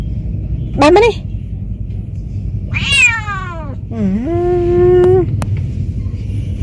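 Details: Cat out sightseeing for the first time, talkative: a short rising meow, then a long falling wail and a drawn-out flat meow, over low background rumble while its owner speaks Khmer nearby.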